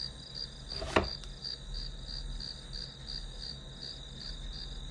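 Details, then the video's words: Grass insects calling as background for an hour-long study session: a steady high pulsed chirping with a constant low hum beneath, broken near the start by one sharp knock and a fainter tap. "풀벌레 소리"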